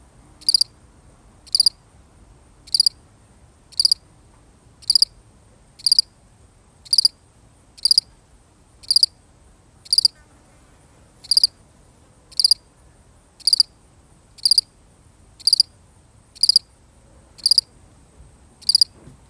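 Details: Solitary cricket in a genuine field recording, its high, sharp chirps coming steadily about once per second, each chirp a brief cluster of pulses, with near silence between.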